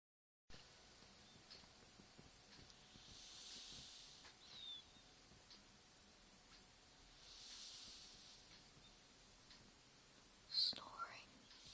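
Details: Rosie, a cat, snoring while asleep: soft, breathy hissing inhalations rising and fading about every four seconds, with a brief sharp squeak near the end over a quiet background.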